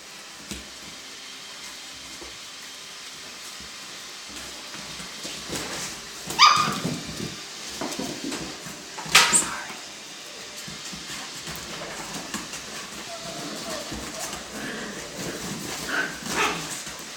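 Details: Alaskan Klee Kai puppies kept in a box: two sharp, high-pitched yelps several seconds apart, with soft whining and squeaks in between, over steady rustling and scratching.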